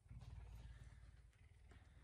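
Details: Captive pet puma in a home on an early morning, having woken its owner. A low, vibrating rumble, loudest at the start and fading slightly toward the end.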